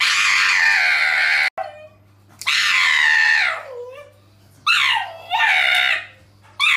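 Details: Pug held by a male vet while a female vet trims its nails in Suzhou City, Jiangsu Province, on October 16; loud, almost human high-pitched squeals in long wavering bursts, falling at the ends, with short pauses between.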